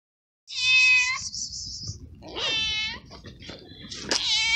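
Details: Stray cat, a small abandoned feral cat in a garden, meowing while it eats: a long high harmonic meow, then a second rising-falling meow and a sharp cry near the end.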